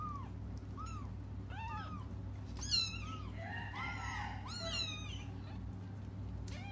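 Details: Several cats cry as they wait for their mother, giving many short, overlapping arched meows, some quick and clipped, others drawn out, over a loud low hum in the background.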